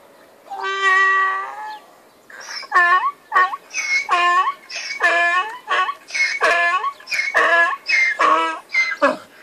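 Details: A donkey brays at sunrise in the countryside: one long opening note, then harsh, rhythmic see-sawing heehaws.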